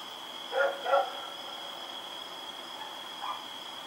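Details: Rex, a dog running around at night, recorded October 7, 2018: two quick barks near the start, then a fainter one later, over a steady high electrical whine.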